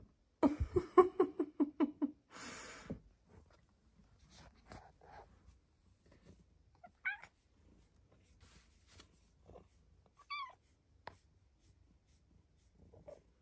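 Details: Indoor recording of Luxe, a pet cat, on her closet petting shelf one morning while being petted: a rapid pulsing trill lasting over a second, a brief rustle, then two short chirps later amid soft handling sounds.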